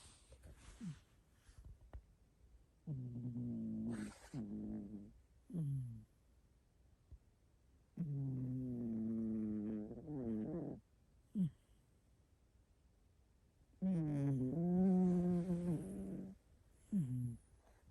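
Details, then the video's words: Hairless house cat of 6.5 kg snoring in bursts: rasping, buzzy breaths of two to three seconds, separated by brief snorts and silences, with a few sharp clicks and rustles. "6,5kg hairless cat’s snoring zzzz🙀🙀🙀毛なし猫さんのイビキ"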